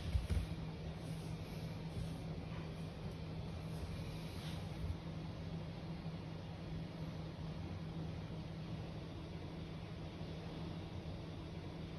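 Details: Steady low rumble of traffic or machinery with faint background hiss, and no animal voices. A few soft knocks sound near the start.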